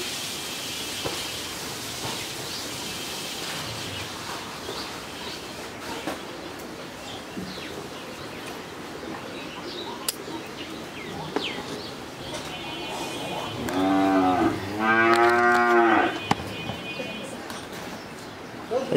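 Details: A healthy 13-month-old Friesian heifer calf at a farm in Pabna, Bangladesh, gives one drawn-out, harmonic-rich moo lasting about two seconds near the end, after a stretch of rural background noise with faint bird sounds and speech.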